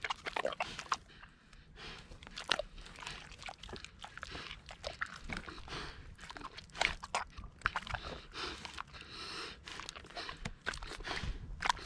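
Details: A large Kune Kune pig munches bananas, giving dense, irregular crunching and wet chewing clicks throughout, with sharper bites every second or so and a quiet low background.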